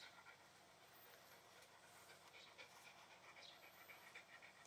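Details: Steady rapid panting from a Shiba Inu, airy rhythmic huffs at about four per second with no other clear sounds.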